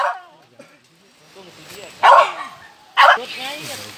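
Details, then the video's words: Young civet, found at Cikereteg, with two loud, rough, breathy bursts about a second apart after a quiet stretch of faint murmuring. "Dapet anak musang mamayo"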